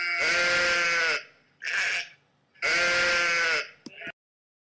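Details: A flock of sheep grazing; one sheep gives loud, wavering bleats, each about a second long, with a shorter bleat between them.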